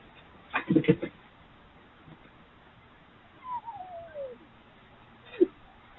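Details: Three urban wild red foxes (Vulpes vulpes) play together at night, trading rough, chattering bursts and a thin, downward-sliding whine as play calls.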